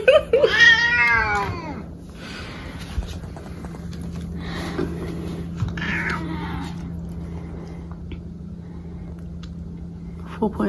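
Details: Indoor house cat being weighed, giving one loud, falling, harmonic meow at the start, followed by quiet room hum, faint shuffling and a person talking to the cats.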